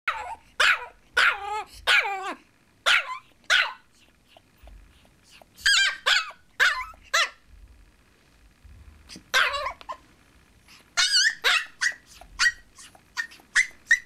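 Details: Chihuahua puppy Lizzie on her second day home, leash tied to a chair, barking because she is not yet used to the leash: shrill, high yelping barks in uneven bursts of one to three, pausing between volleys.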